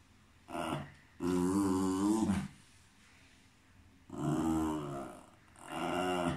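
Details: Cairn Terrier indoors giving three long, drawn-out harmonic whines or moans, each about one to one and a half seconds, with short quiet gaps between them.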